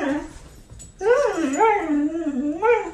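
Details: Siberian Husky scolded by its owner for eating chocolate answers with a long, wavering whine that rises and falls in pitch like talking, with a brief earlier yelp, inside a small room.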